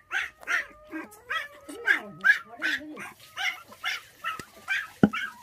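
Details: Orphaned puppies, a litter of five bottle-fed after their mother was taken at six days old, whimpering in quick repeated high yelps, roughly two to three a second, over a low sliding tone and a sharp knock near the end.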